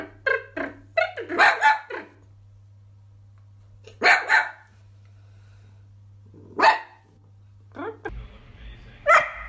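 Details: Dachshund, a pet sausage dog indoors, giving sharp barks in irregular bursts: a cluster in the first two seconds, a double bark near four seconds, then single barks, with a short noisy scrape near the end.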